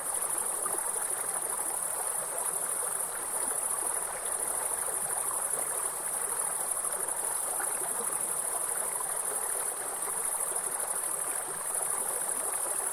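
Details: Against a soothing forest waterfall, grasshoppers keep up one sustained piercing high note with no pulses or gaps, while flowing water roars steadily beneath.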